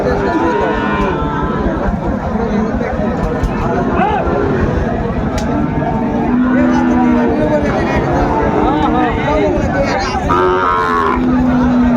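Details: Shahiwal and Friesian bulls at a busy cattle market in Narayanganj, Bangladesh, on 27 February 2025; several long, level moos rise above constant crowd chatter and traffic noise, with bargaining voices throughout.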